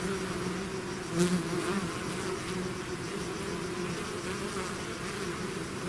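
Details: Bees swarming out of a hive hum in a low, constant drone, with a bee buzzing loudly close by around the first second before the even swarm noise resumes.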